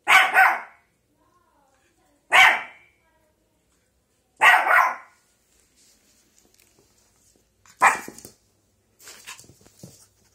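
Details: A female Shih Tzu puppy barking at a pile of clothes gives a few high, sharp barks with uneven pauses between them.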